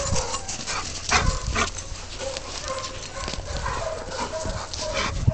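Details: Siberian Huskies Zia, Zorra, Luna, Riggo and Olive playing together: short wavering whines and moaning tones repeat through the scene, mixed with sharp yips, thuds and rustling movement.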